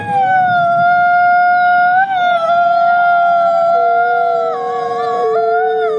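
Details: Captive-born gray wolf Nikai at the Wolf Conservation Center, South Salem, New York: sustained, steady howls overlapping in a chorus, long level tones with small pitch steps downward toward the end.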